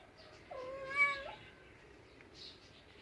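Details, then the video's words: Cat giving one drawn-out, flat, slightly strained meow lasting under a second, followed by quiet rustling. "Funny cats sounds"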